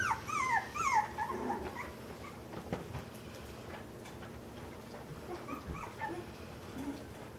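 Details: Several puppies playing indoors in a busy part of their home give high, wavering whines that fall in pitch, strongest in the first second and a half, then fainter whimpers over a steady background hum.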